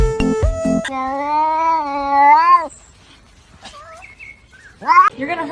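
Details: Cat giving one long, steady, drawn-out meow lasting nearly two seconds with a slight rise and fall at the end, then a shorter upward meow, over faint background music in a funny pet compilation.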